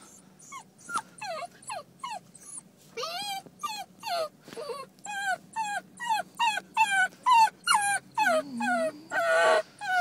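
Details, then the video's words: Basenji dog whining nonstop in a parked car, described as a temper tantrum after her owner left; high, sliding whimpers and yelps repeated about once a second, rising in intensity, with a faint low engine-like hum beneath. "Mommy taught you one thing, it's how to whine. You're throwing a temper tantrum."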